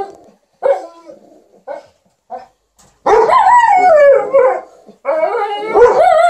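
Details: An Alaskan Malamute and a Golden Retriever entertain their owner with 'talk' while she irons: short yodelling yelps in the first half, then long, wavering, howl-like moans that slide up and down.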